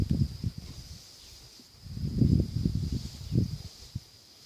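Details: Hector, a miniature donkey of Bel'Âne, snoring: low rumbling breaths in uneven bursts, one near the start and a longer, louder one around the middle, with quiet gaps between.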